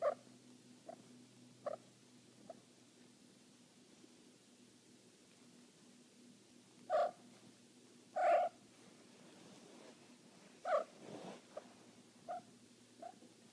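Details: A female Cornish Rex cat in heat gives short, repeated yowling calls over a low, steady purr.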